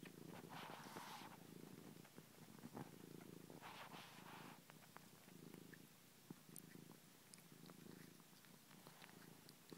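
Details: Ninja, a pet cat, purrs while sucking a finger: soft low rumbling purr in rhythmic pulses with breathing swells about every one to two seconds, faint clicking and sucking noises over it.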